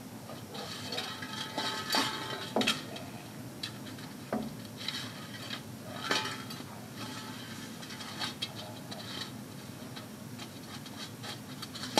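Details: Clinking dishes, cutlery and glass rattle indoors against a low background hum, with no animal sound.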